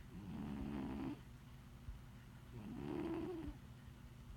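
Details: Large 20 lb domestic cat snoring while napping: two slow, drawn-out rasping breaths about two seconds apart, each a low rumbling buzz lasting roughly a second, with quiet pauses between.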